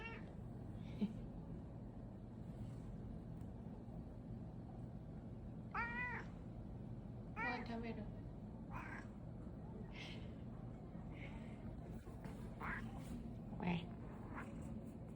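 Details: Pet cat asking whether its food is ready, giving a few short, soft meows in the middle of the recording, spaced a second or two apart, while a person speaks quietly against a steady low hum.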